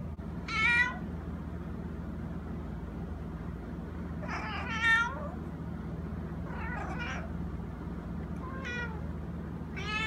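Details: Small male cat that makes this noise all day, sometimes at 6 am. Five short, high, wavering meows are spaced unevenly over ten seconds against a low steady hum.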